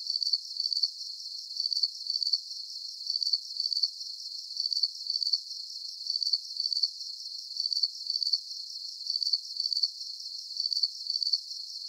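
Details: Soothing cricket song meant as a sleep aid, a rhythmic string of high, rapid pulsed chirps arriving in pairs at a steady pace, with a thin continuous high hiss beneath and nothing else audible.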